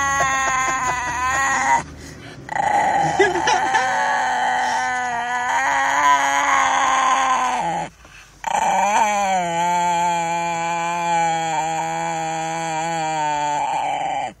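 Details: Diego, a Chihuahua called mean, gives a long, sustained tonal growl-whine, held steady for several seconds with two short breaks near two and eight seconds, rich in stacked harmonics and loud throughout.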